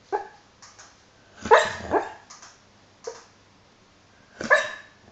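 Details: Hollie, a dog, dreaming and snoring: muffled, breathy woofs and soft yips come in short bursts. The loudest pair falls near the middle and another sounds just before the end, with faint puffs of breath between them.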